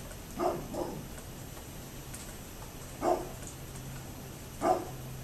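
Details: Dog next door barking on 27 October 2011: a quick double bark, then two more single barks spaced about one and a half seconds apart, over faint steady background hum.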